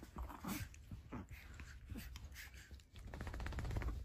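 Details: Dog puppies indoors giving soft, short whimpering and snuffling sounds in irregular bursts, with low rumbling handling noise throughout and a louder stretch of bumping near the end.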